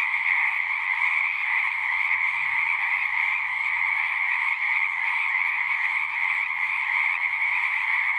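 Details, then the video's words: Singing frogs in a thick, ceaseless chorus: overlapping pulsed calls form a steady middle and upper band, with a faint low rumble underneath. "One hour of singing frogs."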